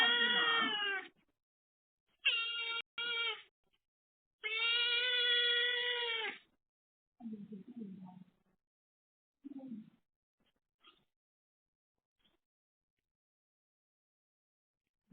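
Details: Cat meows during a firstborn son's visit to his mother after her TNR neutering surgery: a burst of loud, tonal meows, a short doubled call and a long drawn-out meow, followed by soft, low murmurs and quiet gaps.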